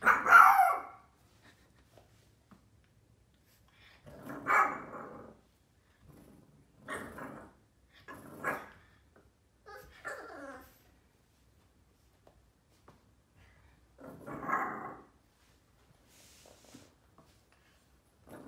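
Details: Indoors, Yoda, a 4-month-old Boston terrier, throws a tantrum with spaced sharp barks and grumbles, each burst separated by a few seconds of quiet, plus occasional human speech.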